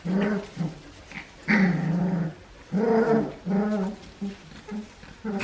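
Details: Four-week-old Australian Shepherd puppies, eating dry food and playing with their toys, recorded December 7, 2020: low, rough harmonic growls in bursts of about a second, alternating with short grunting yaps and brief pauses.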